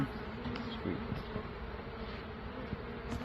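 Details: Honey bee swarm being caught after dark, a low, steady droning hum of many bees filling the background, with faint soft knocks and handling noises.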